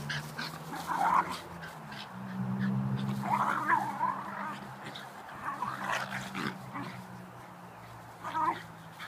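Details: Two Shiba Inu dogs horsing around and wrestling in a backyard; low rumbling growls run through most of the stretch, broken by short noisy bursts of scuffling and snorting.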